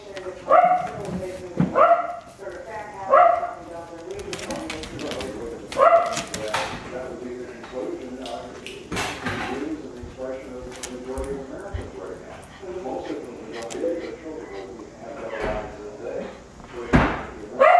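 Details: Playful Wire Fox Terriers, Paisley, a female rescued from a puppy mill, and Felix, who keeps trying to get her to play. Scattered sharp yips and barks, some in quick pairs, mixed with human speech and clattering indoor noise.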